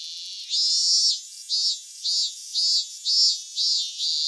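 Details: Japanese cicada singing, a rising buzz followed by steady high-pitched pulses repeating roughly twice per second, each pulse a bright rasping burst.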